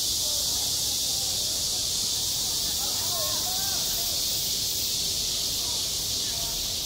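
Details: Midsummer cicada chorus over a school playground, a constant high sizzling buzz that never lets up, with faint wavering human voices rising briefly from the background around the middle.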